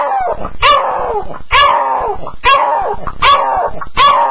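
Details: Staffie on its first night, sounding out during a nightmare: sharp, loud yelping barks repeat about every 0.9 seconds, each followed by a falling whine.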